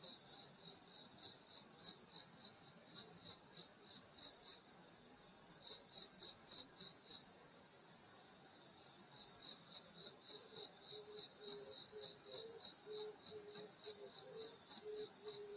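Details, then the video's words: Night insects in the summer countryside around a grandmother's house keep up a shrill continuous trill and fast pulsed chirping. Midway, a lower, slower series of soft repeated notes joins in. "여름소리 풀벌레소리 시골밤소리"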